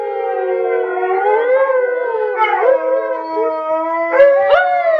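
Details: Several Alaskan Malamutes howling together, overlapping long smooth tones around a mid pitch that slide up and down with rich harmonics, a couple of brief higher yelps near the end.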